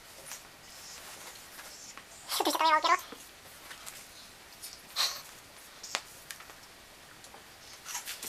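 A Scottish Fold cat gives one short, wavering meow in a quiet room.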